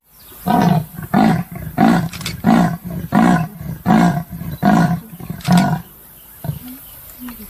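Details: Deep, coarse rasps from a leopard, about nine in a row at an even pace, each a short sawing stroke. The series stops abruptly, leaving quiet background with a few faint, brief bird notes.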